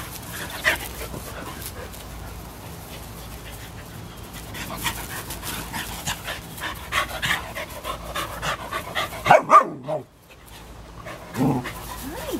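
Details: Play between a 3½-year-old American Eskimo Dog named Kayu and Cooper, a 3-month-old German Shepherd puppy; breathy panting builds into a quick pair of yelps, a brief pause, then a rising whine near the end.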